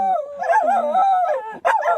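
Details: Shetland Sheepdog named Beetle howling, a sneeze-prone pet dog; sustained wavering tonal howl with rich harmonics, pitch gliding up and down, a brief break near the end before the howl resumes.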